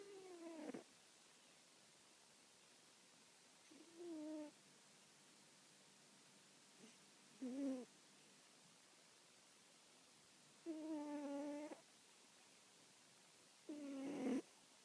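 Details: Domestic cat, a hefty sumo-wrestler-like pet, snoring like an old man while asleep indoors: five droning, tonal snores with faint harmonics, each under a second long, recurring about every three seconds against a quiet background.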